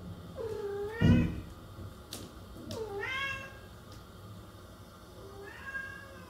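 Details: Three plaintive meows from a cat, the first two dipping then rising in pitch, the last fainter and higher, with a brief thump and clicks between calls.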